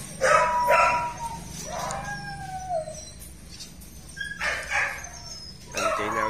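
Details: Litter of purebred Belgian Malinois dogs at a breeding kennel in Vietnam; short yelping bursts and a long gliding whine that falls in pitch, then more yelps, over a low rumble of background noise.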